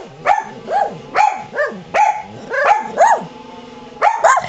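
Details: Two dogs, Qusi barking and Hyzzie crying, reacting to a rototiller running in the yard; short arched barks and whiny cries repeat roughly every half second, closely spaced and steady, with a constant low engine drone underneath.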